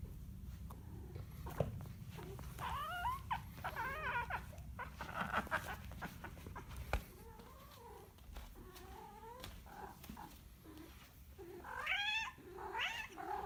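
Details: Cat uttering a series of quavering, bending yowls, some rising and others falling, spread across the recording. A louder, sharper wail comes near the end, with scattered clicks and knocks of handling noise between the cries.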